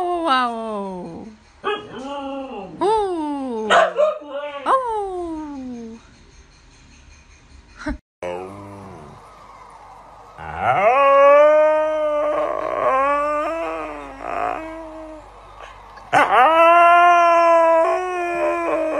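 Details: Pet Siberian Husky howling indoors: a series of short, sliding yodel-like howls in the first half, then two long, sustained wavering howls with rich overtones, separated by a quiet gap.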